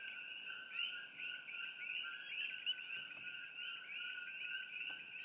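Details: At night in treetops near the Old Mamalahoa Highway by Hilo, Hawaii, a dense chorus of coqui frogs gives high two-note chirps blending into a steady shrill drone, among other creature sounds.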